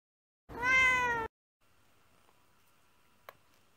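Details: Female orange tabby American shorthair cat on dried catnip for the first time: one clear, drawn-out meow lasting under a second, level then gently falling, followed by a faint background hum and a single click.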